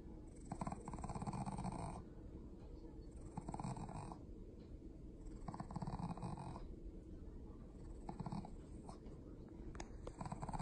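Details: Shih Tzu/Pekingese dog indoors making low, snore-like rasping grumbles in bursts about every two to three seconds, with faint household noise between.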